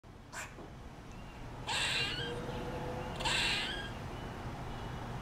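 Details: A squirrel just off a front porch in the morning, giving what is described as a distress call while still eating a peanut: a brief click, then two harsh, broad, rasping bursts about a second and a half apart.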